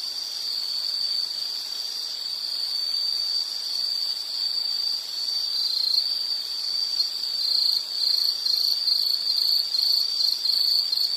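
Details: Insect calling with a steady high trill, its pulses growing stronger and more distinct toward the end, with faint higher overtones and no other sounds.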